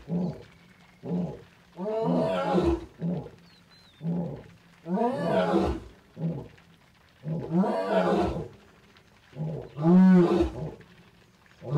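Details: A male lion in Naboisho Conservancy, Maasai Mara, Kenya, roars in the late evening after heavy rain, with his pride nearby. Deep, moaning bursts swell and fade, alternating with shorter grunting pulses, and the heavy calls repeat every couple of seconds.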